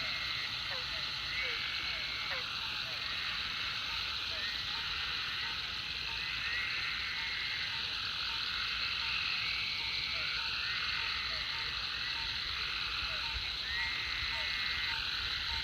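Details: Chorus of frogs at a Food Lion pond following heavy rain, a steady wall of high trilling voices with rising and falling whistled notes and a string of quick, evenly spaced pips underneath.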